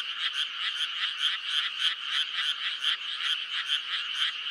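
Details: Brief burst of a May frog chorus, clustered croaking pulses rising and falling about every half second over a steady ringing drone.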